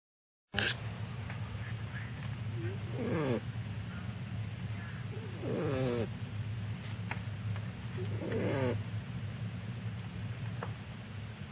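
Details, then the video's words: Batman, a tiny 2-pound Chiweenie puppy, sleeping curled in a box on an old t-shirt in an office, gives three raspy, wavering snores, spaced roughly every two to three seconds, over a low, steady background hum. "Batman, my 2 pound Chiweenie.....SNORES!!"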